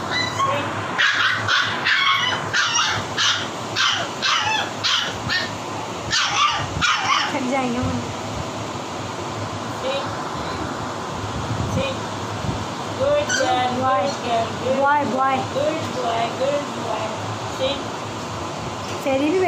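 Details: Siberian husky puppies barking for food: a rapid, irregular run of high yappy barks early on, later thinner yelping whimpers, over constant background hiss and voices.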